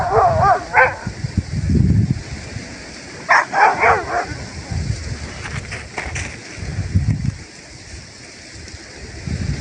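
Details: Kangal dogs at a village, where they live like a wolf pack: a burst of wavering barks at the start, a second cluster around three to four seconds, then quieter stretches of low rustling and handling noise.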